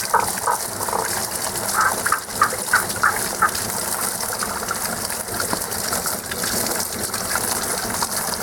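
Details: A frog song heard only in this season from callers that stay out of sight: a run of short, evenly spaced mid-high pulses over the first few seconds fades out, leaving gushing water.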